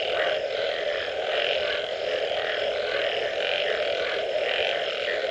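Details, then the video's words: After rain, numerous frogs call together: a continuous droning wash topped by rhythmic, pulsing higher notes that recur at roughly one-second intervals, with no pauses in the chorus. "Frog Sounds after Rain"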